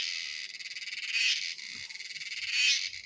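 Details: A male cicada sings as a silent female arrives, apparently courting her: a dense, high buzzing song that pulses rapidly and swells louder and higher in frequency and intensity in bursts.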